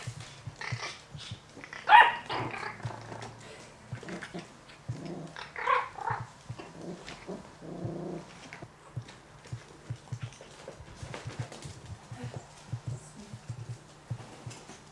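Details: Yorkshire Terrier puppies from a Warsaw, Poland breeding kennel yap and growl: a few shrill harmonic yaps early on, then lower rumbling growls, with scattered clicks, scuffles and rustling throughout.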